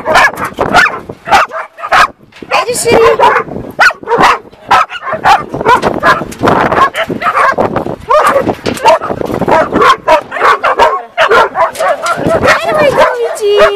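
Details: An excited greeting from Shira the dog: a dense run of yelping barks, squeaky whimpers and drawn-out whines that barely pause, mixed with a human voice talking throughout.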